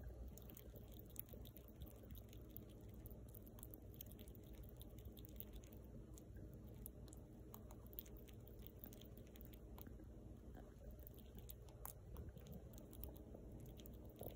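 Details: A young female rescued fox squirrel eats, with faint, irregular clicking and crunching as it gnaws and chews its food over a steady low indoor hum with occasional wet, drip-like ticks.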